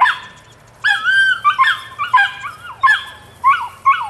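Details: Rodin/Katana female puppy at nine weeks, voicing a run of high, wavering whines and yelps that rise and fall, clustered after a quiet start, about seven bursts in quick succession.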